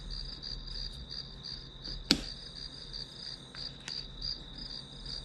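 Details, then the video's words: Grass insects heard during a one-hour study session, giving a high, pulsed chirping that repeats about three times a second over a steady high-pitched hum, broken by one sharp click near two seconds. "풀벌레 소리"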